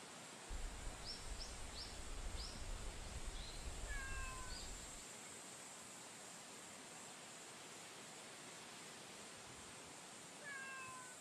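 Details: Female stray cat met on a street during a daytime stroll, giving two drawn-out, falling meows about six seconds apart. Low rumbling handling noise and a few short high chirps come early, over steady background hiss.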